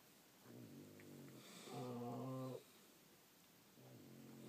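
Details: A sleeping French Bulldog snoring indoors, one long harmonic rasping breath with a quieter softer snore before and after it.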